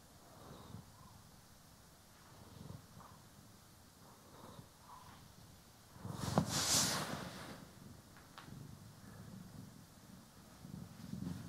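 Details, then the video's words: Pet cat, one of the pair Poki and Kiwi, purring while being groomed and brushed, recorded in stereo. A soft low rumble swells in breath-paced pulses, broken midway by a loud rustling burst of brushing. "CAT ASMR | Purring, Grooming & Brushing"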